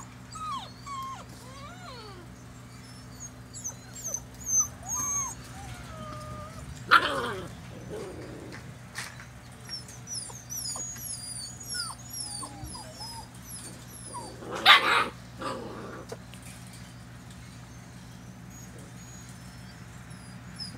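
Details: A litter of five seven-week-old Poodle puppies from champion parents, two full brindles, a tuxedo silver sable, an apricot and white parti and a black, giving scattered thin, high squeaks and whimpers, with two sharp bangs and a steady low hum.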